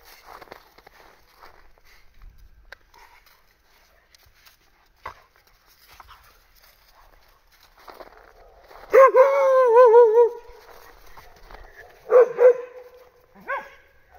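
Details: Bull Terrier puppy named Snap, playing alongside a mongrel called Sevo: a quiet stretch, then a wavering, quavering whine-yelp lasting about a second, followed by two short sharp barks a few seconds apart.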